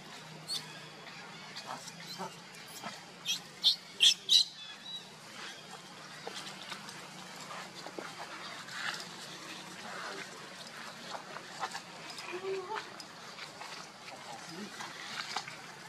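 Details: Baby monkey Lucie crying out for its mother's help against a kidnapper: a run of short, high, tonal squeals clustered near the start, then scattered softer squeaks and clicks over rustling background noise.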